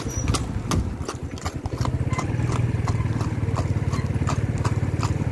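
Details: Clip-clop of a ridden horse: crisp hoof strikes, first irregular and spaced, then settling into a steady rapid beat, with a continuous deep droning hum beneath.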